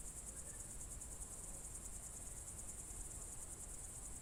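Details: Crickets at dusk in June 2023, Novye Buregi, Novgorod Oblast, Russia: a steady high-pitched shrill trill with a fast regular pulse continues unchanged throughout over soft low background noise.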